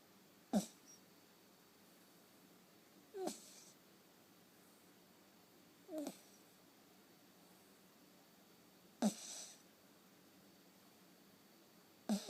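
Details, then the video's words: Dozing off in someone's arms, the dog Asani snores in five short, breathy snorts with faint whistling edges, spaced roughly three seconds apart against near silence. "Dogs snoring"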